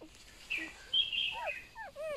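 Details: Newborn golden retriever puppies, one of a litter of eight, give a few brief, thin squeaks, then short falling whines near the end, over quiet background noise.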